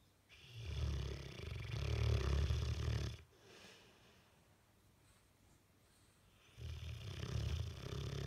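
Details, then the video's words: Dozing Bullmastiff, face twitching, snores deeply: a long guttural rumble, a few seconds of quiet breathing, then the next snore starts. "Bullmastiff face twitching and snoring"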